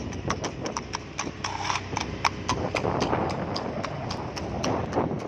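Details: Horse running very fast along a road, hooves striking in a quick, uneven clip-clop of sharp knocks, about four per second, over steady low background rumble.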